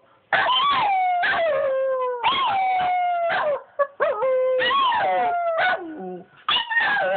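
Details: Bobby and Angel, two pet dogs, howl in chorus: sustained harmonic howls that rise sharply then settle and slowly fall, separated by quick yips and short gaps.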